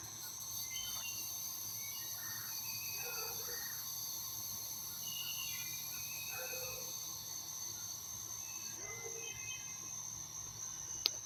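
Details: Cicadas on a Los Angeles morning hold a steady, high-pitched, ringing drone, with scattered short calls over soft background noise.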